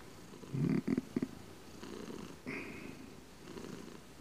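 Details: Close-up domestic cat purring: a loud, low rumbling burst in the first second breaks into a few short pulses, then eases into a soft, steady low rumble.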